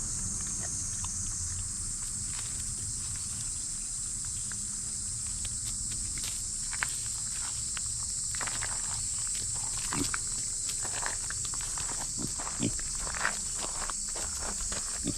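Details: Loud cicadas singing, a steady high hissing drone held without a break throughout, with scattered clicks, rustles and footstep-like taps from a pet micro pig moving about nearby.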